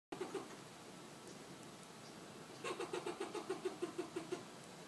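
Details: A fox squirrel in Southern California gives a quick run of short, hoarse barking notes over a low background hum.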